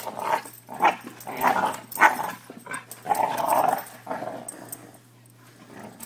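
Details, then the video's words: Pair of five-month-old Newfoundland/Lab mix brother puppies at play indoors, mixing rumbling growls with short gruff barks in a fast, uneven burst that fades into quieter growling toward the end. "Newfoundland Lab puppies play and bark..a lot"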